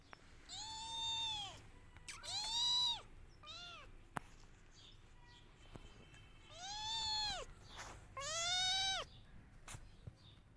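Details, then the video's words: Kittens cry and meow loudly while searching for their mother: six drawn-out, arching meows in pairs, each rising then falling with bright harmonics, separated by short quiet gaps, plus a few faint clicks. "Cute Kittens Crying For Her Mother || Cute Cat baby Missing Her Mother"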